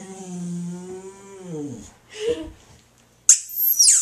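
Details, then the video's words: Female Boxer dog howling at a squeaky toy: a sustained low tonal howl that bends downward and fades, then a brief muffled sound and a shrill squeak from the toy. "Boxer Dog Howls to Squeaky Toy"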